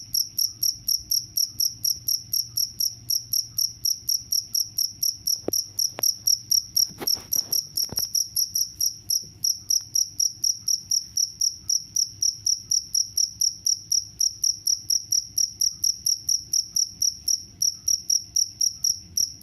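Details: A cricket chirps steadily, giving high, ringing pulses in a fast, unbroken rhythm; the cricket sound is presented as a mouse and rat repellent.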